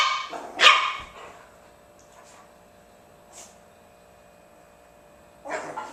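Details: Bugg puppy and German Shepherd at play: a sharp, bright bark bursts out near the start with a softer lead-in, a faint brief yelp follows mid-way, then another barking burst closes, with quiet room hum between.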